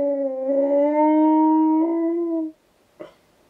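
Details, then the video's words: Husky cross German Shepherd dog howls back at wolves: one strong, steady howl of about two and a half seconds, pitch rising slightly midway, then silence and a single short knock. "Husky X GSD Responds To Wolves Howling"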